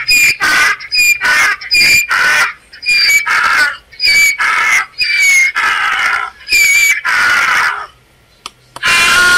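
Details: A braying donkey gives a long series of loud, wheezy see-saw calls, higher squealing notes alternating with rougher ones, about eight seconds of rhythmic heaving before falling quiet.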